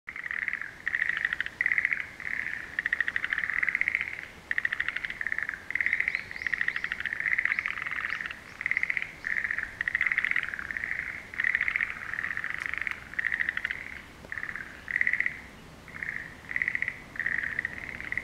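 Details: A frog chorus in a pond at Tanuki Lake, Shizuoka, Japan, on 20 April 2017 at 13:54: rapid rattling trills under a second long, overlapping and repeating in bursts about every second as a continuous throbbing chorus.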